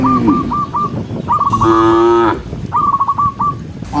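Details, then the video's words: Cattle herded through the countryside, part of a herd of dozens: a single drawn-out low moo in the middle, framed by short repeated high whistled trills before and after. "cow sound cow Moo"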